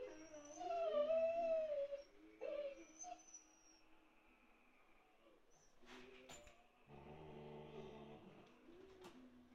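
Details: Pet Siberian Husky Steve, indoors, pestering fellow husky Rocky, resting under a sofa, to play: a drawn, wavering high whine-howl that rises and bends, a shorter yip after it, then a low grumbling growl later on.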